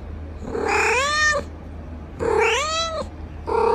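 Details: Domestic cat meowing: two long rising-then-falling whining meows about a second each, separated by a short pause, with a third meow starting at the end; quiet background hum.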